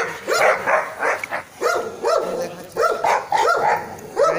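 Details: Labrador Retriever barking while playing in the ground during training, a run of sharp repeated barks roughly two per second, some doubled, with short pauses between bursts.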